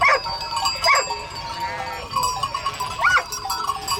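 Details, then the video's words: Goat giving three sharp, wavering bleats spaced about a second or two apart, each a brief harmonic-rich cry, over steady ringing bell-like tones and general barnyard noise. "goat videos funny noises"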